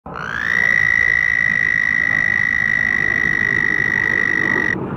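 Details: A black frog inflating its mouth balloon gives an air call, one long, steady, high whistled note that rises briefly at the start.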